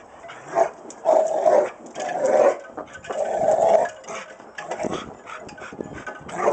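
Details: Pet Rottweiler giving three long, moaning growls about a second each, with a steady tonal hum inside them, then softer broken grumbles toward the end.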